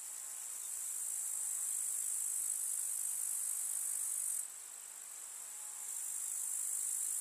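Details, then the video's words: Chirping grasshoppers of a summer village meadow with wildflowers: an unbroken high-pitched sizzling drone that rises in loudness, softens briefly, then returns. No other clear sounds. "КУЗНЕЧИКИ. Слушать звуки летнего луга"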